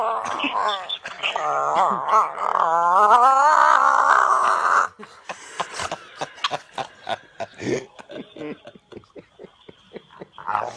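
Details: Buddha, a bulldog, waking up in the morning: a long strained whining groan wavering up and down for about five seconds, then a run of short snorting grunts, quick and fairly regular, in a small room.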